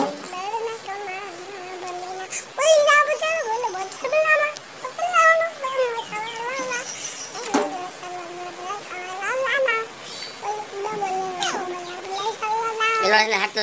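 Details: Kittens meowing continuously, many short wavering cries overlapping one another. Each rises and dips in pitch, with a few louder, strained mews among softer ones, and faint high chirps in the background.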